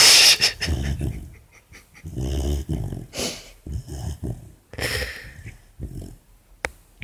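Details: Four-month-old female Labrador puppy asleep indoors with an ear bud in her mouth, making low rumbling snores and grumbling breaths in irregular bursts, with short pauses between them and brief faint hiss-like noises.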